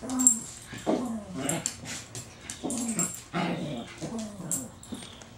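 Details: Pet Chihuahua that befriended a once-feral cat gives rough growls and brief high yips indoors in quick uneven bursts, with scrabbling and rustling noises throughout.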